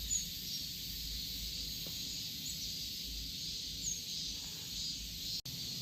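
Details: Korean cicadas in a continuous, dense, high-pitched buzzing chorus that holds steady throughout, with a few faint brief chirps above and a low background rumble.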